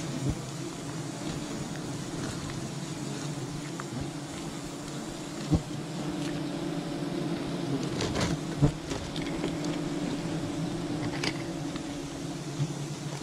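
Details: Wild honey bee colony being harvested, a constant low-pitched drone of many bees, with a few isolated thumps and a cluster of crackling sounds midway.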